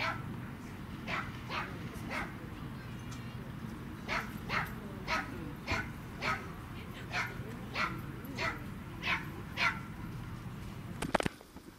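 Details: Pembroke Welsh Corgi at a dog run, 10 March 2019, petted by people and small children: a long run of evenly spaced, high, sharp yapping barks roughly twice per second, with a low background hum and a brief clatter at the end.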